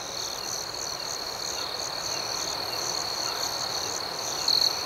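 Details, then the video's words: Crickets at night: a steady, high, thin chirping chorus with a soft pulsing shimmer above it, swelling briefly louder near the end of the clip. "Soothing Cricket Sounds"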